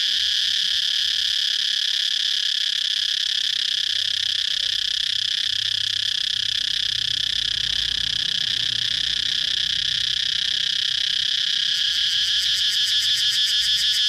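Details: A loud cicada holds a constant, high, grating buzz, switching near the end to a quick pulsating rattle.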